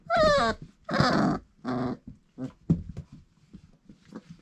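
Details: Four-week-old Irish Setter pups, litter of Grit and Cain: a sharp, wavering falling yelp, then two harsh growls, fading into short grunts and soft scuffles.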